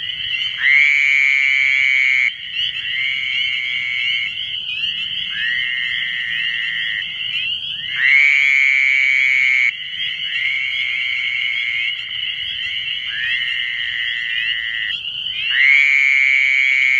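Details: Fowler's toads (Anaxyrus fowleri) calling in the New Jersey Pinelands: nasal, buzzy bleats about two seconds long, with several callers overlapping.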